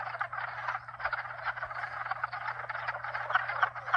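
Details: Many frogs calling together, at least two and possibly four species, their croaking trills overlapping into a throbbing mid-pitched din; a constant low pump hum runs beneath throughout.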